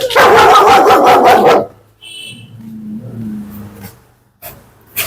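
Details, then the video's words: German Shepherd described as an aggressive biting dog, shown during leash training: a burst of loud, rapid harsh barks over about one and a half seconds, then quiet with faint low hums, a brief tone and clicks. "കടിയൻ German Shepherd"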